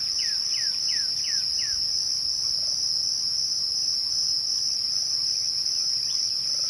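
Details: Twilight crickets hold one continuous shrill trill throughout. Near the start, five quick falling whistled notes come in a row, then only faint scattered notes sound against the steady insect drone.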